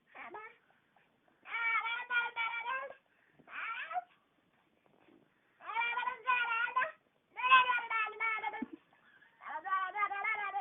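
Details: Pet cat Ally Davianna has her gums rubbed indoors and answers with repeated long, throaty, pulsing yowls, each lasting about a second, separated by short silences.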